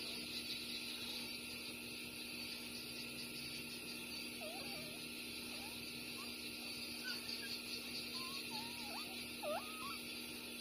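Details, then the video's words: Two 6-day-old puppies named Bob and Massy, born the same day, nursing from their mother; soft, short rising squeaks and whimpers scatter through the second half over a steady background hiss and hum. "Beautiful puppies BOB & MASSY Breastfeeding"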